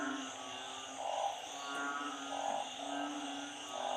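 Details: Frogs, narrow-mouthed frogs and small frogs, calling during a storm with flooding: low, rounded croaks repeat about every one to one and a half seconds over a steady droning background hum.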